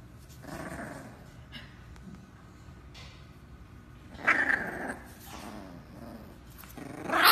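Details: Dog growling while attacking a potato, with rough low growls swelling at about one, four-and-a-half and seven seconds between quieter stretches.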